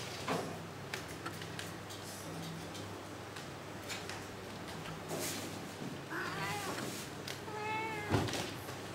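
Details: Kitten leaping and bounding, giving two short, thin meows near the end amid a steady hiss, thumps and scrabbling.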